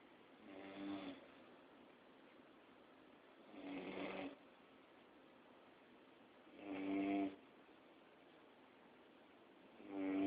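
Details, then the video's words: Max, a pet Labrador, snoring in his sleep: four rasping breaths spaced roughly three seconds apart, each a short buzzy rattle with a low tonal core, in a quiet indoor room. "Mi perro MAX Roncando"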